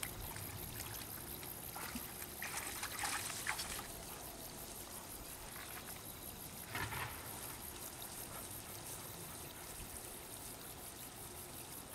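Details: Quiet trickling water runs steadily with a few soft splashes and rustles.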